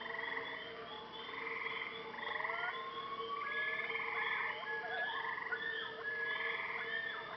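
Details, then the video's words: Night frog chorus at a Maine lake, with overlapping buzzy pulsed trills and several soft rising and falling whistled notes woven through, over a constant low droning tone. "Listen to the sounds of the frogs and loons during the night at a lake in Maine."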